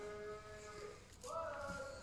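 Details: Black-and-white Holstein cattle on a farm: a steady tonal moo held for almost a second, a short pause, then a second, higher-pitched moo that rises and holds to the end over a faint background hum.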